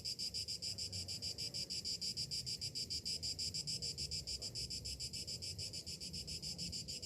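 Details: Summer morning chorus of cicadas, a shrill metallic drone beating in quick, even pulses throughout, over a soft low rumble.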